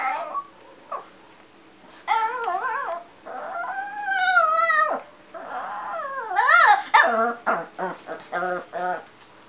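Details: A pet dog wearing a Santa outfit, being readied to dance in a grocery store, lets out long wavering whines that rise and fall and bend in pitch, then a run of short quick yips near the end, with quiet indoor background.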